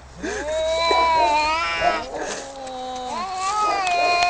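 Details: Two cats fighting yowl over each other in overlapping, bending wails, one higher and one lower, rising and falling without pause.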